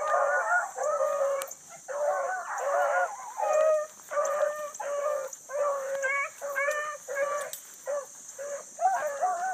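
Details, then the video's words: Blueticks running hard on a big rabbit at dawn in July, new pup in and out of the chase; steady chorus of short, ringing bawl mouths roughly every second, several dogs overlapping, with a high hiss throughout. "THE BLUE'S ON A BIG RUNNING RABBIT"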